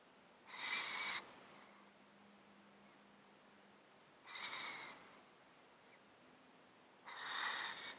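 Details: Close-miked domestic cat asleep in a box, its breathing made congested and snotty by a disease of thirteen years; three hissing, rasping breaths spaced about three seconds apart over a quiet room hush.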